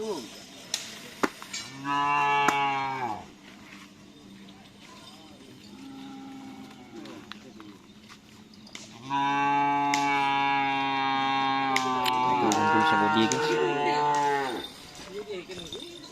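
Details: Cattle during bull race (karapan sapi) training at Asemanis field in Pamekasan: two long, deep moos of one to five seconds each, strongly harmonic and steady, with cowbells, clicks and a little background music.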